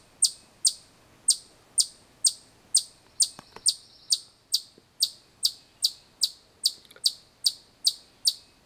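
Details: Chipmunk giving a loud, sharp, high chip repeated steadily about two to three times a second throughout, each note clipped and bright, with a brief faint clatter midway.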